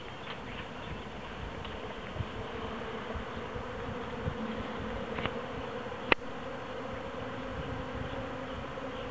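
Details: A swarm of honey bees that has left its hive, being caught by a beekeeper: a faint, steady droning hum with a few sharp clicks and knocks from handling.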